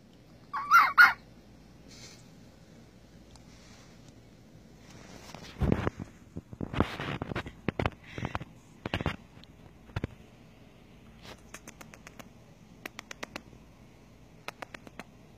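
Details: Domesticated pet red fox kit named Bucky, a baby finding his voice: a sharp, loud burst near the start, then a run of short, scratchy, clicking and chattering calls in quick irregular clusters, with quieter ticks toward the end.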